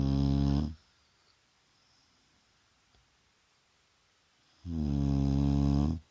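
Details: Shar Pei named Vaya snoring during a daytime rest indoors: two loud, harmonic-rich snores about four seconds apart, each lasting under a second, with quiet room between.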